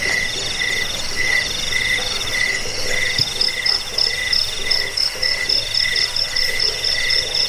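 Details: Crickets recorded for scaring rats and training birds: a throbbing mid-pitched buzz pulses irregularly, with a high ringing trill and scattered bright chirps above, plus one brief low thump.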